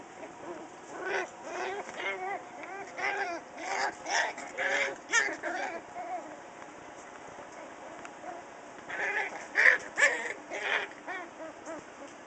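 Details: Pet dog Charlie, half Schipperke and half dachshund, roughhousing with his friend Raven, a black Lab and pit bull mix: clusters of harsh, yappy growls and squeals in bursts, a lull midway, then another flurry of noisy vocalizing.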